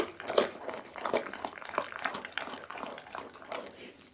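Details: Pit bull Doggy eats a whole raw chicken indoors, captured by an Insta360 ONE R: slurpy, sticky chewing with scattered crunches, loudest at the start and gradually softening.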